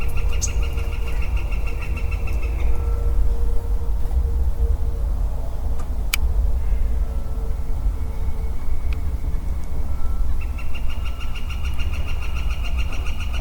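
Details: Early spring woodland, 4 4 22, with a lone male western chorus frog giving two rapid pulsed, creaky trills, one near the start and one near the end, separated by a quieter gap, all over a constant deep rumble.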